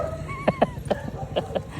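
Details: Belgian Malinois from the pair Luna and Dax, hyper and excitable, lets out a thin sliding whine followed by a quick run of five short sharp yips over low rumbling background noise.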